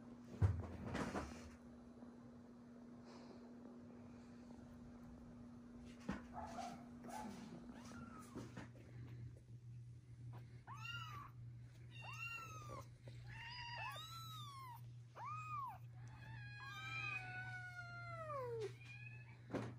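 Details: Newborn kittens with their big brother and sisters: after quiet thumps and a steady hum, a rapid burst of many high, arched mews and overlapping cries fills the second half, with a long descending wail near the end.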